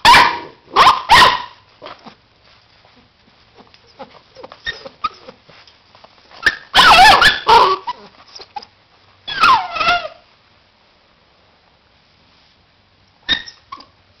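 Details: Labrador Retriever puppies, born in 2009, give short yelps and whiny, wavering whimpers in scattered bursts.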